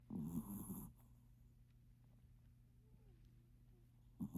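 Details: A sleeping Maltipoo snoring: one rough, low rumbling snore in the first second, then quiet with a steady low hum, and another snore starting at the very end.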